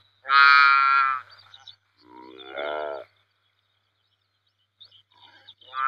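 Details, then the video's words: Saiga antelope calling: one loud, nasal, harmonic bleat, then a softer, lower, wavering call, a silent pause of nearly two seconds, and another bleat starting at the end over a faint low hum. "Saiga Antelope Sound"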